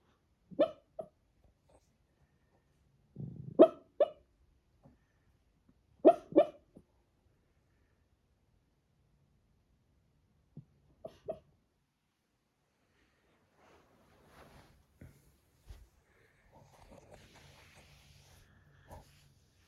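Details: Pekingese puppy making noises while dreaming: short yelps and whimpers in clusters near 1, 3.5, 6 and 11 seconds, then faint soft snuffles and breathing toward the end.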